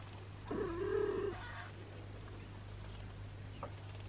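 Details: Indoor cat, in a home with a sheltered long-haired British mother cat, her three kittens and an abandoned kitten: one drawn-out, slightly wavering meow lasting under a second, then quiet room hum with a faint click.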